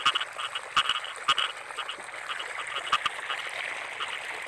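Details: Rice-field frogs in the wet season, with clipped double croaks at irregular intervals standing out against a thick, continuous chorus of distant frogs.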